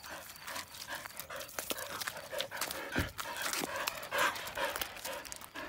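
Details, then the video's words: Border Collie, one of two, Hachiko aged 5.5 and Athea Fin aged 9.5, at relaxed swimming time: quick, irregular panting breaths, roughly two per second, with splashes and a woman speaking Czech nearby. "Border Collie Swimming time"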